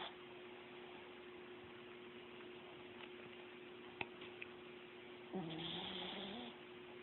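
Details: A dozing Chihuahua, after several quiet seconds with small clicks, produces a drawn-out nasal, whistling snore with a slight rise and fall, against a steady background hum.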